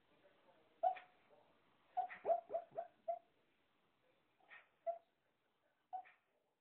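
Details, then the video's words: Shih-Poo making funny noises in its sleep while dreaming: quiet high whines and brief yips, a run of four or five close together, then isolated squeaks spaced about a second apart. "Shih-Poo dreaming| making noises"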